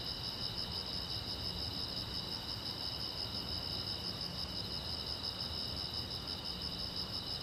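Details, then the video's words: Crickets at night by a silent road, giving a dense, even, shimmering trill of fast high pulses that never pauses, over a low background hiss. "the Chirping Sound of Crickets"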